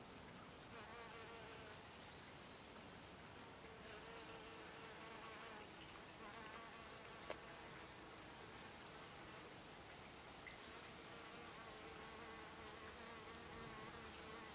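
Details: Western honey bee (Apis mellifera) drinking nectar and collecting pollen on dandelion, Leiden, Netherlands, 28 April 2014: a steady, humming wing buzz runs without a break.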